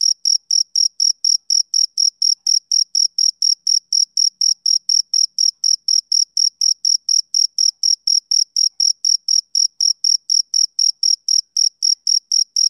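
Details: Rhythmic summer-evening chirps of a male cricket, a long even train of bright, piercing pulses at roughly four per second, unbroken and alone against total quiet.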